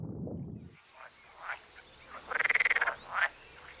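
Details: Frogs in spring gathering in warm shallow ponds of a former sewage filtration site turned reed-bed wetland, Rieselfelder: a rapid pulsed croak of about a dozen evenly spaced beats, then a short single croak, over faint background hiss.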